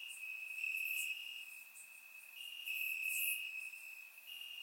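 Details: Bulgarian summer night, crickets in the grass recorded in surround sound: a high unbroken trill that rises and falls in loudness, plus a few faint higher chirps from more distant insects.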